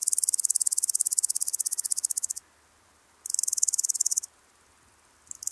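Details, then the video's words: Woodland grasshopper (Omocestus rufipes) song at Gaisberg, Austria, 15 September 2023: high, dry rapid ticking in bursts separated by brief silences; noise removal applied. "Omocestus rufipes -- Buntbäuchiger Grashüpfer -- Woodland Grasshopper"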